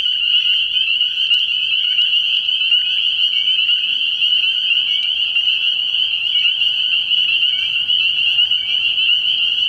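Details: Spring peepers calling from a frog pond at night early in the year: a dense, unbroken chorus of high, piercing peeps merging into one steady shrill band, with faint scattered clicks and no other clear sounds.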